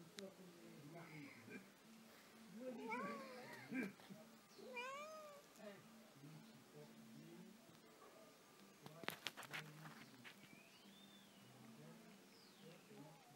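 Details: Domestic cat, described as never stopping moving, producing several short arched meows in the middle of the stretch over a soft continuous hum, with sharp clicks and handling noises indoors.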